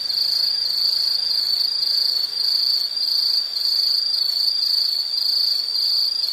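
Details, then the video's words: Insect calling in a nature soundscape: a steady, high, shrill trill that holds almost unbroken for six seconds, with only brief dips in loudness and no other clear sounds. "Sound · Nature Sound of nature sounds scenery L · insect"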